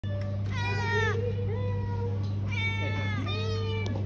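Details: Street cats in Malaysia meowing, several drawn-out tonal meows that rise then fall, some overlapping, over a steady low electrical hum.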